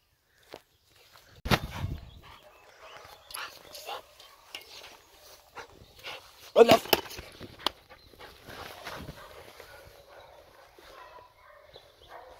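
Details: Heideterrier Gröschel, a Lower Saxony wild-boar Jagdterrier from a tested hunting-performance breeding line: a few sharp, loud barks near the start and again midway, with scattered softer yaps, rustling and footsteps between them.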